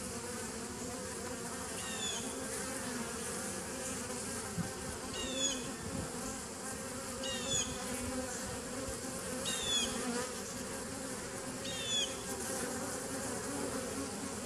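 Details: Steady humming of bees in a 2017 nucleus colony on 27 September 2018, with five brief high chirping bursts breaking through about every two to three seconds.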